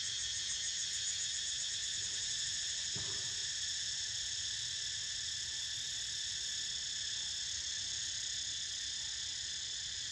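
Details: A steady drone from a group of cicadas, shrill and continuous with a slight pulsing shimmer at the top, and one brief low thud about three seconds in.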